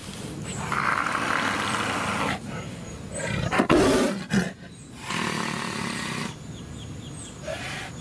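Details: Tiger. A tiger lets out a gruff, rasping roar, building from low grumbles to a sudden loud, harsh outburst. Breathy growls and rumbling continue around it, with some background noise.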